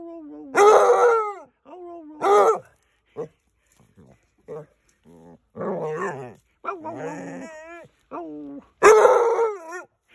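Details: An almost 8-month-old male Basset Hound lets out long, wavering, mournful howls with a rough baying edge, swelling in loud, harsh bursts, then trailing off, repeated a few times, while a woman speaks soothingly between them.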